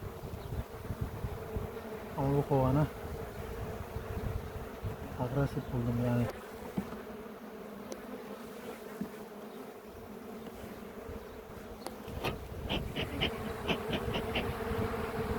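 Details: Honey bee colony near Ceyhan, Turkey, called aggressive by its keeper during a post-harvest queen check in a village apiary; continuous low buzzing hum, brief human voices early on, light tapping and handling clicks later.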